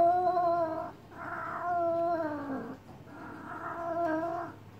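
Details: Domestic cat in heat being massaged indoors, giving long drawn-out harmonic wails of about a second each, some sliding downward at the end, with short quiet gaps between calls.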